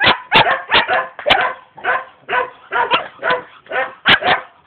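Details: Young German Shepherd dog in Jamaica, said to be ready to attack, barking in a rapid run of about ten harsh, rough barks in under five seconds, with little else heard.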